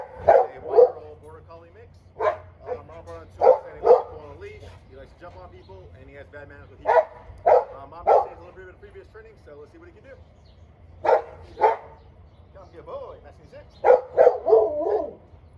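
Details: Border Collie mix being assessed by a trainer in San Antonio, Texas: short, sharp barks in irregular bursts, often doubled or tripled, around a dozen across fifteen seconds, over a faint low hum.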